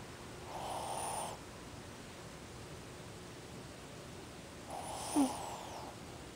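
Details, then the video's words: Ozzy, a pet Shih Tzu, snoring while asleep with his eyes open. Two raspy, breathy snores about four seconds apart, each lasting roughly a second, with a faint click during the second breath and a quiet background otherwise. "Ozzy, o Shih Tzu, roncando."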